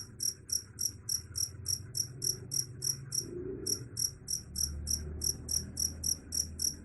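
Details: Cricket giving rapid, sharp, high-pitched chirps at about three per second, with a short break just after the three-second mark, over a low background murmur.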